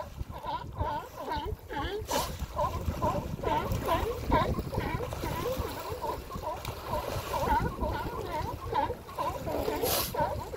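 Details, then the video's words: Male sea lions claiming mating territories at the Coast Guard pier, Monterey Bay, in spring; a steady chorus of overlapping harsh barks from many animals, with splashing water and surf noise throughout. "Sea Lions Monterey CG Pier"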